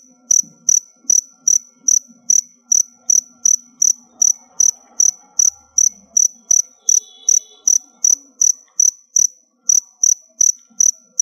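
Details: Kept crickets approaching a molt chirp in a long, regular series: about twenty-eight piercing, high chirps across eleven seconds, with a faint tonal hum and slight background murmur under them.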